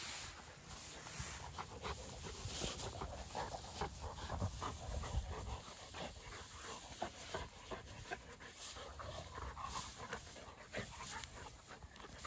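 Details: Rapid, rasping panting from a pair of Dogo Argentino dogs at play outside, the breathy bursts repeating irregularly over a constant low background roar.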